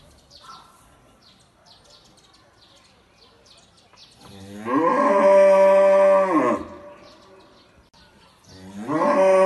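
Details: A black cow lets out a loud, drawn-out, steady moo lasting about two seconds, then starts a second moo near the end; faint bird chirps fill the quieter opening seconds.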